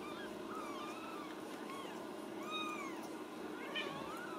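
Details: Ragdoll kittens raised loose in a home cattery in central Kansas; several thin, high meows rise and fall, overlapping one another, quiet against a steady background hiss.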